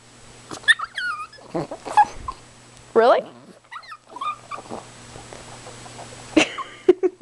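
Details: Chihuahua named Precious, demanding and excited, pretending to be her inner wolf: short whiny yelps and rising-and-falling howl-like wails come in bursts with pauses, ending in sharp yips, while a person speaks softly between them.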